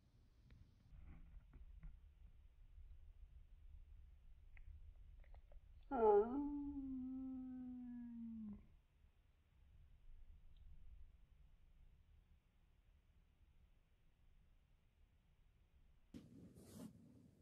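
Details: 時雉, a pampered second cat pressing for attention while the older cat is isolated with a cold, lets out a single drawn-out meow lasting over two seconds, sharp at first then low and level, amid near silence and a brief rustle later.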